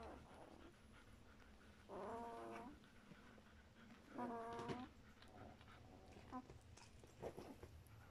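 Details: German Shepherd puppies of a litter, two weeks old, giving short harmonic whines and squeaks around two and four and a half seconds, with softer squeals between and faint background hiss.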